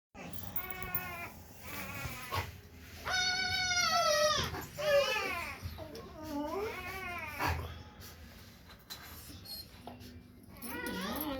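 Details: Female Rottweiler puppy in Parthapghar, giving a series of drawn-out, tonal whining cries that rise and fall in pitch, several over eleven seconds, with a faint room background between calls.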